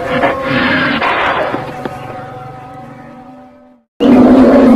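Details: A cow (Bos taurus) gives a long, steady moo that sags slightly in pitch before a second call starts.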